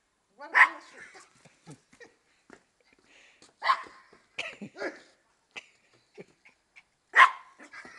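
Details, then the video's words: Maltese bitch in her favourite game, looking beneath a car for the feet of the person chasing her: three loud sharp barks spread across the clip amid softer yips, rustling and faint voices. "un des jeux préférés de mon bichon maltais"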